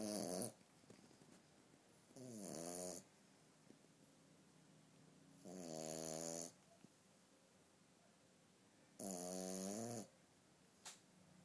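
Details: Sleeping female French Bulldog puppy snoring indoors until she wakes herself up: four long, buzzy, rasping snores, each about a second long, coming roughly every three seconds with quiet pauses between.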